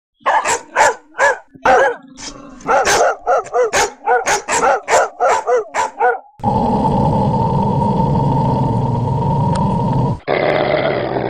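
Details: Dogs barking: a rapid series of loud, sharp barks roughly every half second for six seconds, with a few growl-like tones, then a steady broadband rushing noise with a faint constant tone.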